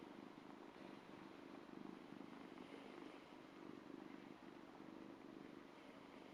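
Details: A two-month-old Ragdoll kitten purrs as it licks a hand, giving a continuous, gently pulsing low rumble that holds an even level for several seconds.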